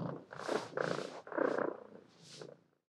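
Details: Cat giving four short, harsh, drawn-out cries in quick succession, each about half a second long, the last one softer and trailing off into silence.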